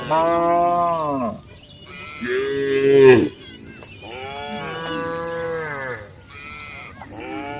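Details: Cows roaming on a street give a run of deep, drawn-out moos, each rising slightly and then falling away.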